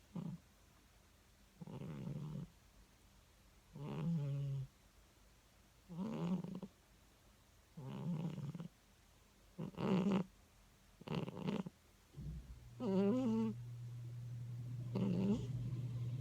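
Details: Cat asleep and dreaming in bed, snoring in a quicker rhythm: about eight rough, low snorts at irregular short intervals, some with a rising wobble, ending in a longer low steady drone.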